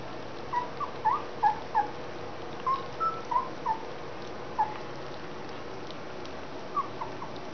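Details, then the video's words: Collie puppies of the E litter, 30 January 2013, around their first real food: short squeaky rising whimpers, about a dozen scattered across eight seconds, over a steady low hum. "Collies from the Sunshine * E - Wurf * 30.01.2013 * das erste richtige Fresschen!"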